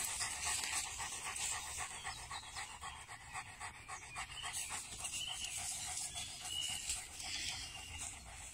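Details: Cane Corso described as a guardian by the Una River, panting in quick, steady breathy huffs about four per second, a hissing rhythmic noise with faint background sounds.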